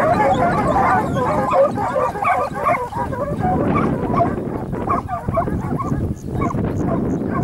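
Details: Segugio Italiano hound named Sofiko baying while hare hunting near Lagos, Evros, Greece, 12 June 2021; a dense run of overlapping yelps and bays, irregular and fast, with strong wind or field noise underneath.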